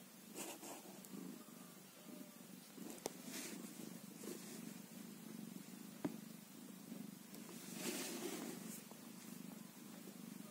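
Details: A newborn kitten, one day old, purrs in a continuous low throbbing rumble; a few sharp taps and short hissy rustles break through around the steady vibration.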